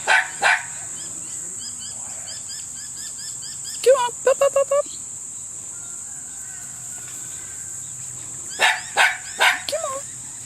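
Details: Tenterfield Terrier puppies at six and a half weeks old, giving short high yips and squeaks in two bursts around four and nine seconds, over a steady high electronic hum with faint background noise.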